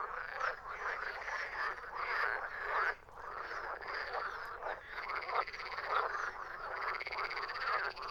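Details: Frogs croaking in a dense chorus: many overlapping raspy, rattling croaks run continuously from start to finish with only a brief lull near the three-second mark, no other animals or voices heard.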